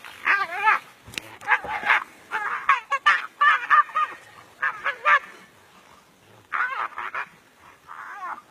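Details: Brown hyenas fighting in the African bush: rapid wavering squeals and yelps in dense clusters, then a pause before a few more drawn-out whining cries.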